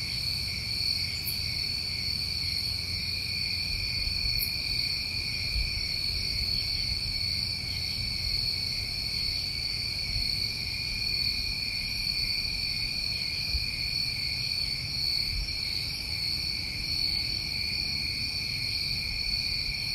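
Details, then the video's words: A night chorus of New England crickets in summertime, an even, ringing wall of high trills held at several layered pitches for the whole stretch, two brief clicks early on, low background rumble. "Tinnitus Masking With Crickets"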